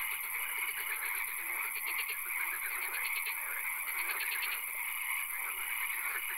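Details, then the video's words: Night swamp frog chorus: bursts of fast, evenly pulsed trills repeat every second or two over lower croaking and a constant high shimmering drone. "Frog Calls, Swamp Sounds and Occasional Rain"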